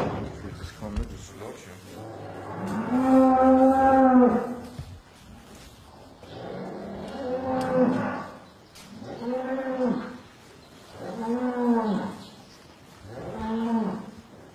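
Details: Cows during calving in the West, giving a series of long, deep, harmonic moos, each lasting one to two seconds and repeated about every two seconds, with faint indoor rustling between calls.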